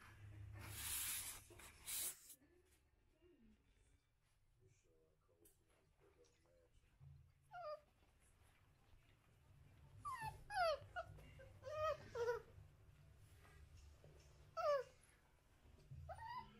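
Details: American Bully puppies give a series of high, thin whines and squeaks, several sliding downward, scattered through the recording with quiet gaps and a burst of rustling at the start.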